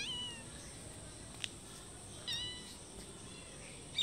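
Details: Several cats meow for food in front of a house and its door, one calling from a wall. Short, high, thin meows come at the start and again near 2.3 seconds, with a sharp click between them over a steady hiss.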